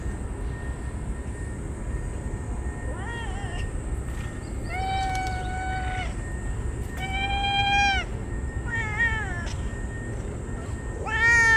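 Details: Ear-tipped stray cats on a scorching hot day, crying out while rubbing against each other as they are fed, showing joy. Several clear, drawn-out meows, some flat and level, others wavering and rising, over a steady low rumble and a faint constant tone.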